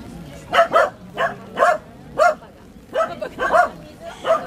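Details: Welsh Corgi puppies, Milk and Kokoro, recorded on a GoPro HD HERO2: a run of high, sharp yappy barks in quick bursts, some doubled, with short gaps between and faint indoor background.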